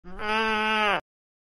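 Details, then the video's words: Sheep giving a single bleat about one second long: a steady, strongly harmonic, nasal tone with a slight rise at the start, then abrupt silence. "Sheep Bleating"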